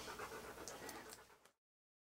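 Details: Siberian Husky named Key, posing in hats and clothing for a photoshoot, panting in quick breathy bursts about four per second. Soft and noisy, with faint scratchy rustles, stopping abruptly after about a second and a half.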